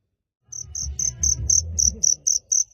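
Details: Cricket at night in Phteah Prey giving a quick series of about ten very high, short chirps, roughly four each second, over a low rumbling background noise.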